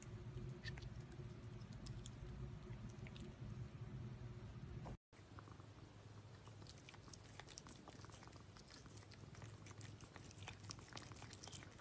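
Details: Cats eating food, close-miked: irregular crisp clicks and wet smacks, roughly three per second, over a steady low hum, with a sudden cut about halfway through before the chewing resumes.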